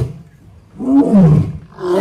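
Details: Lion seen at close range coming towards visitors at the Sri Venkateswara Zoological Park in Tirupati, India; one deep, low roaring call of about a second, rising then falling, with faint voices around it.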